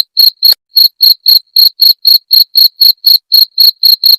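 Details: {'caption': 'Cricket (jangkrik) chirping, offered as a sound to drive away rats: sharp, high, buzzy pulses repeated evenly about four times a second, some sixteen in a row, with no other sounds.'}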